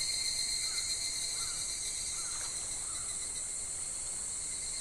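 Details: In July at a calm, shallow clear river, cicadas keep up an unbroken, even, shrill buzzing drone, while a few brief soft chirps from a bird are scattered through it.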